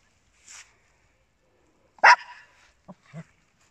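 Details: Indoor Papillons and a Yorkshire Terrier, small pet dogs: one sharp, loud bark near the middle, preceded by a faint high squeak and followed by two soft, low grunting sounds.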